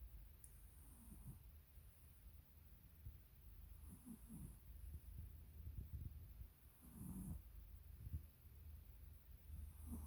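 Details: Sleeping Dachshund snoring: soft, low, rasping breaths swell and fade in slow cycles, with louder snorts at about every three seconds and a faint steady hiss underneath.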